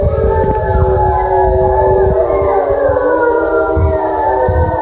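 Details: A wild gray wolf pack in a British Columbia, Canada forest, spring 2020, howls back at calls made beside a forest service road. Several long, overlapping howls hold steady, then slowly fall and rise over a constant low rumble.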